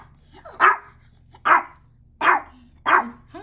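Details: Hungry Mexican Chihuahua giving four sharp, short barks spaced roughly three-quarters of a second apart, each a clipped burst over a faint low hum.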